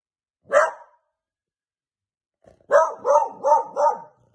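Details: Beagle puppy barking while playing with a toy indoors: one short bark, a pause of about two seconds, then four quick yappy barks in a row, each with a bright, harmonic tone.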